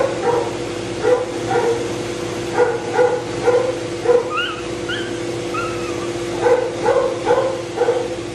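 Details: Matted Shih Tzu that bites from pain and tolerates no discomfort, being de-matted and blow-dried: short sharp yelps repeated about twice a second, a few higher rising whines midway, over a steady droning hum of the dryer.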